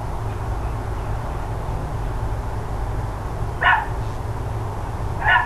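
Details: Neighbouring dogs on a morning in October 2012: a long stretch of low droning hum, then two abrupt barks a couple of seconds apart.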